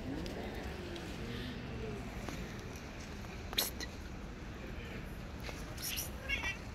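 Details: Stray female cat waiting by the roadside in the rain for someone to give her food, giving two drawn-out, wavering meows in the first two seconds over a steady hiss of rain, with a few sharp knocks later.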